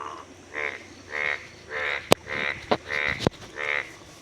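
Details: Many yellow-golden frogs give rasping, pulsed croaks about every half second in a breeding chorus at a village river, in fresh rainwater pools after early light rain in Boishakh, before the monsoon.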